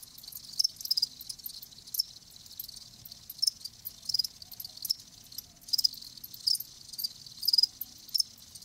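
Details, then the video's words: Crickets kept live give sharp, high chirps in separate bursts roughly every half second to second, some doubled or tripled, over a quiet background. "Live Crickets 60min "Natural Sound""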